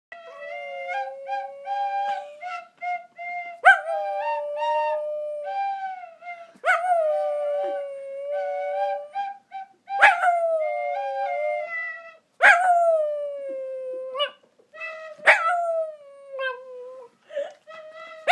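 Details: An 8-year-old one-eyed Shih Tzu singing along to a flute, howling in long, wavering tones that slide downward.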